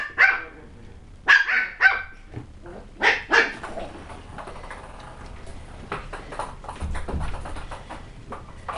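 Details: West Highland White Terrier puppies barking during tricks: about six sharp, high yappy barks in the first three and a half seconds, then quieter scuffling and rustling noises with faint low thumps.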